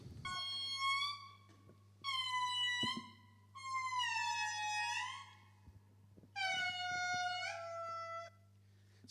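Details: Indri, the giant singing lemur of the Madagascar rainforest, singing as a multi-part choir; very loud and rhythmic. Four long, clear, wailing notes come in bursts with pauses, some held steady and others sliding downward, over a faint low hum.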